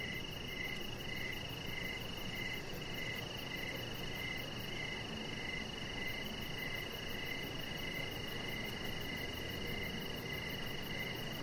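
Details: Crickets calling at night outdoors near a deck where a chihuahua rests: a quick regular series of brief mid-pitched chirps layered with a steady piercing high trill, and a continuous low rumble-like hiss beneath.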